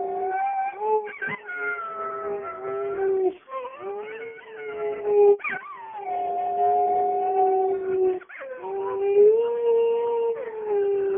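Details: Dog howling in a small indoor space, steady drawn-out tonal howls with wavering, sliding pitch, renewed every few seconds after short breaths.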